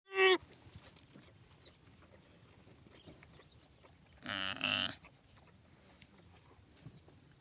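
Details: Lamb bleating: a short, sharp, high bleat right at the start, then quiet hiss, then a longer, loud, wavering and nasal bleat lasting about half a second, four seconds later. Faint background noise throughout.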